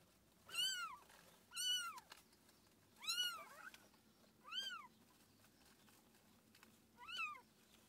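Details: Five loud, clear meows spaced one to two seconds apart, each a rising-then-falling cry, heard at the birth of the cat Tússa-Gatússa, whose litter numbered seven kittens; faint indoor background.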